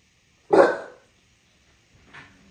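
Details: Single loud, abrupt bark from a bulldog in New York City, followed by a brief faint soft sound.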